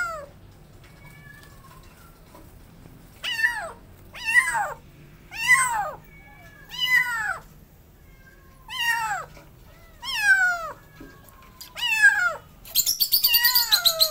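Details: Feral kittens, two abandoned together, being caught late at night; a run of about eight loud, harsh meows sliding downward, each about a second long, ending in a short breathy burst of noise like a hiss.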